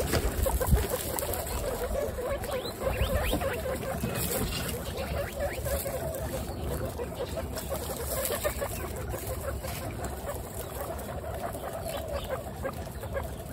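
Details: Twenty-six female guinea pigs kept together make a dense, busy murmur of low, short chuttering pulses, roughly three a second, overlapping without pause over steady rustling and shuffling noise.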